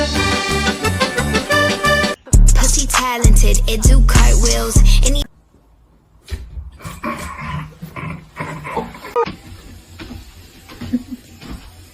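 Loud music with heavy bass and a rap-like beat gives way to quieter talk, with no animal sound.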